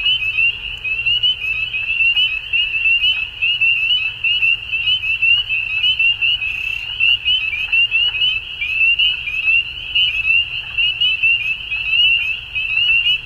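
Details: Many frogs at dusk trill together in a shrill, unbroken chorus, its pulsing beats rising and falling in volume, with a quiet low drone beneath.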